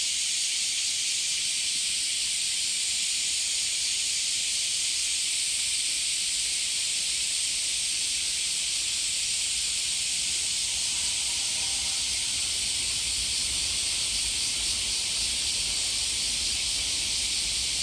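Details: Cicadas at Hiraoka Shrine, Japan, keep up a continuous shrill, hiss-like buzzing throughout, with a faint low rumble beneath.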